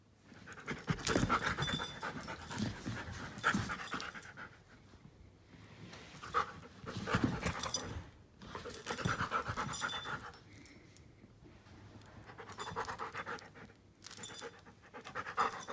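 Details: Klara, a giant schnauzer one year and five months old, pants heavily indoors in loud bursts of rapid airy breaths lasting a few seconds, separated by quieter stretches, with a brief high tone near the middle.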